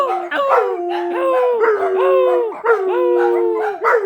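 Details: Dogs howling in unison, overlapping long wavering wails with brief upward yips at their starts, one low steady tone running beneath the higher voices.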